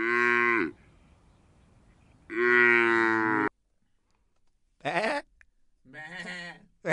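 A cow gives two long, deep, droning moos about two seconds apart, then two shorter, rougher lowing calls.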